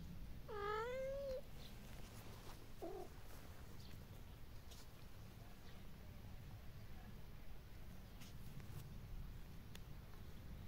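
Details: Kittens at play with their mother and her friends in a garden; one drawn-out rising meow near the start, a short faint call after, then quiet low rumble for the rest.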